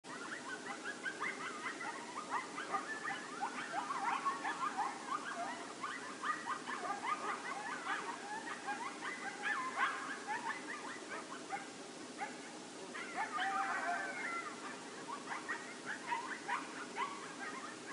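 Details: Coyotes near the Decorah North eagle nest on 24 November 2016, a group chorus of rapid high yips and wavering yelps overlapping continuously, somewhat distant, over a steady background hiss.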